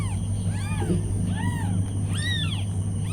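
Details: Several short, rising-then-falling meows from newborn kittens snuggled with their mother cat, about one every second, over a steady background hum and a high whine.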